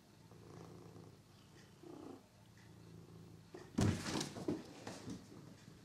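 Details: Figaro, a pet cat, at play with a toy mouse: a soft, even purr for the first few seconds, then loud knocks and rattling thuds as the toy is batted about.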